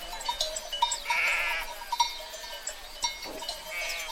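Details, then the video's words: Sheep herd: a wavering, quavering bleat rises out of the flock near the middle, with shorter faint bleats and clinks around it and steady ringing tones underneath throughout. "Sheep Herd Sound Effect"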